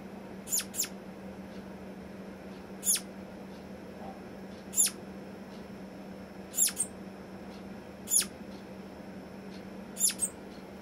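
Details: Kept flying squirrel that calls at the slightest small noise while the others around it freeze: sharp, very high, downward-sweeping chirps, single or paired, repeat about every two seconds over a steady low hum.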